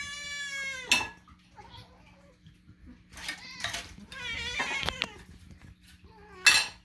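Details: Pet cat demanding food during meal preparation: a clear falling meow opens, followed by several wavering, insistent meows spaced apart, with clinking dishes and cutlery and faint background music.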